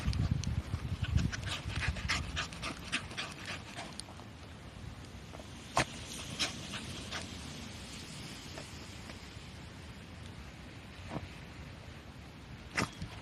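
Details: Shiba Inu named Korosuke, out on a walk, suddenly digging a hole in drizzle on a paddy-field path; quick breathy bursts repeat about twice a second, louder in the first four seconds, with occasional sharp clicks and a soft rain hiss.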